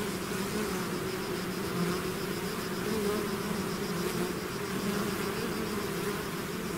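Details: Steady, even drone of a bee swarm leaving its hive, many wingbeats blending into a low layered hum with faint wavering pitches throughout.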